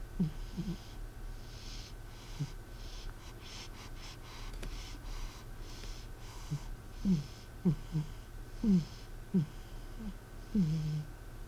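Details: Cat M asleep indoors, its snoring like a person's: irregular short nasal snorts and wheezy breaths, some in quick pairs, over a constant low room hum.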